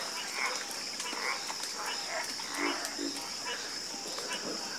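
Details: Several frogs croak in overlapping, uneven bursts, with low deep notes and brighter raspy calls about once a second, while a steady high-pitched drone continues behind them.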